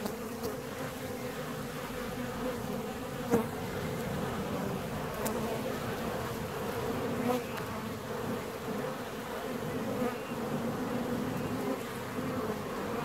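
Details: Constant low droning hum from a honey bee hive 17 days after a split, many bees buzzing together in a steady, unchanging mass, with a couple of faint ticks.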